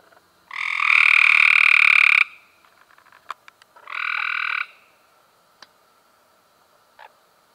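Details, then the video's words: Cope's gray treefrog in May 2016: one long grating trill of about 1.7 seconds followed by a shorter, softer trill, with scattered faint clicks and ticks in the pauses. "Cope's Grey Tree Frogs"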